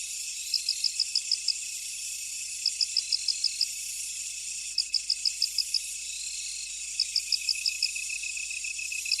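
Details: Insects in a field: short bursts of six or seven high pulsed chirps recur about every two seconds over a faint steady high hiss, with no other sounds.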